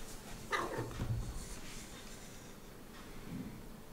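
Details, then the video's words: Talkative pet cat Heliana, indoors, utters a brief throaty vocalisation around half a second in, then a low grunt-like sound, with soft rustling and a faint later murmur in a quiet room. "Heliana always has something to say"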